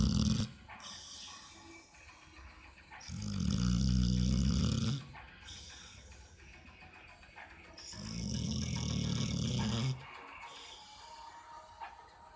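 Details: Pit bull asleep and snoring: two long, loud, rumbling low snores of about two seconds each, separated by quieter breathing and faint background noise.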